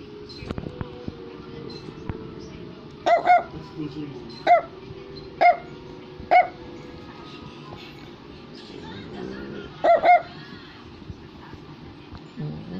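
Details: Brussels Griffon, a toy dog breed, barking indoors: short sharp yaps, often in quick pairs, spaced a second or more apart with a long pause before a final double bark; soft background music and a voice.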